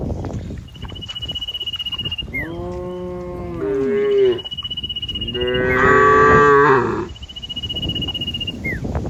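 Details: Cows walking through lush green pasture; several moos in sequence, one falling in pitch and a louder, strained one near the middle, over rapid regular ticking and a faint high whistled tone recurring throughout.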